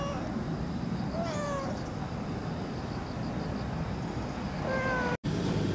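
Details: Cat named Pero-chan being given milk on 26 September 2015, in the equinox season, as night falls for moon viewing: two clear, tonal meows about three and a half seconds apart, each slightly falling, against constant low-frequency background noise.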